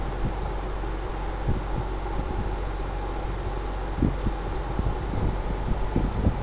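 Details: A 3 lb black female kitten, found abandoned and now in foster care in San Jose, California, purrs in a steady, deep rumble, with a few soft taps and rustles over it.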